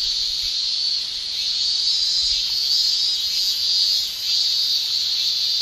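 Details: Shrilling male cicadas in a Japanese summer make an unbroken, intense high whine, loud throughout, with one brief dip in volume near the end before the chorus swells again.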